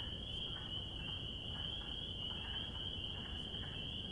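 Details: A spring chorus of spring peepers: a bright, shrill, steady ringing of many overlapping peeps, with faint lower pulses scattered underneath and some low background noise.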